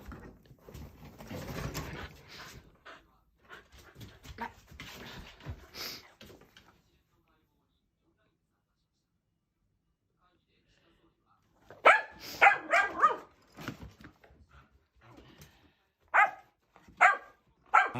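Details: Male Shetland Sheepdog puppy named Nico, indoors, barking excitedly because his owner sneezes. Softer mixed sounds and murmurs come first, then a quiet pause, followed by loud, sharp, harmonic barks in quick irregular bursts during the final seconds.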